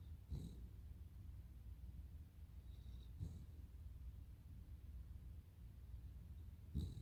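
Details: Snoring of Totoro, a Cavalier King Charles Spaniel: three low, rough, breathy snores spaced about three seconds apart against a quiet, steady background hiss.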